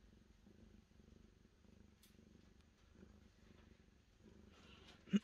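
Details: Cat purring in even, rhythmic pulses, each breath cycle lasting about half a second, over a quiet background, ending with a sharp knock.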